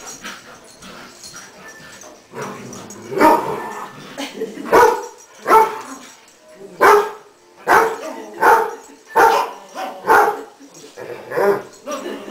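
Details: Pet greyhound Rolly and Westie Charley chase around the house on a quiet New Year's Eve; a rapid series of loud barks repeats roughly every second, with a faint voice in the background.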